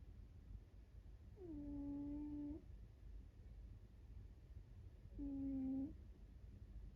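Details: American Shorthair cat named Sabataro, a house pet, snoring while asleep indoors: two steady, flat, nasal whistling tones with soft overtones, the first over a second long and the second shorter, separated by a quiet pause over faint low room hum.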